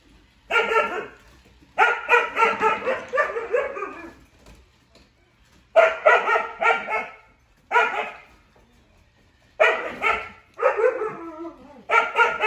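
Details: Siberian huskies, named Juno and Echo, react to a toy robot called Dash; bursts of harmonic, slightly howling barks come in clusters of three to five, separated by short pauses, with quiet gaps between groups.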